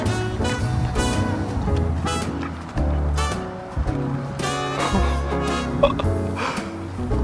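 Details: Loud upbeat music with steady beat fills the recording; no animal voice is heard.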